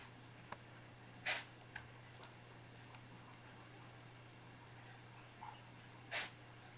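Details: Three-month-old kitten sneezing indoors in a small quiet room: two short, sharp, hissing bursts about five seconds apart, with a faint snuffle between them and a steady low hum in the background.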